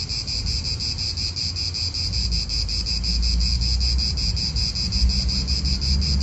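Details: Cicada calling in an Italian park, a pulsing high-pitched buzz repeated rapidly, partly masked by strong low wind rumble and passing car noise.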